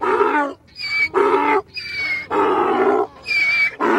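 A donkey brays, swinging between thin wheezy high notes and loud rasping low honks.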